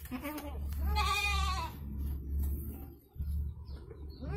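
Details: Indonesian goat delivering twin kids, a strained, vibrating bleat near the one-second mark and shorter bleats at the start and end, over a constant deep rumble.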